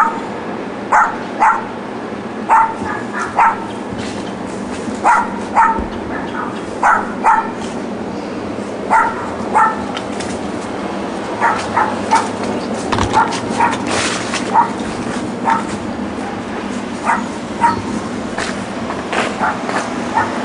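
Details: Dogs left alone in a back yard by absent owners bark persistently. Short, yappy barks repeat in irregular bursts across the whole stretch, some louder and some quieter, against constant low hum and faint outdoor noise.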